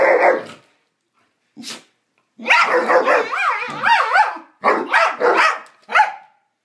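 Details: Two pet dogs playing and making strange noises at each other: a short burst of rough sound, a brief yelp, then long wavering, yodel-like whines and moans rising and falling, ending in choppy barky calls.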